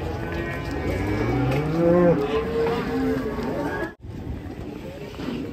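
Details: A cow unloaded from a truck lows with a deep, rising moo that bends upward and breaks, amid voices and yard noise, followed by a brief dropout and continued background chatter.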